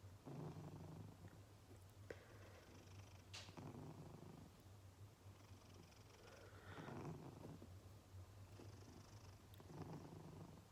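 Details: A sleeping cat snoring softly indoors, low rumbling breaths rising and fading roughly every three seconds, with faint rustles and small clicks in the quiet room.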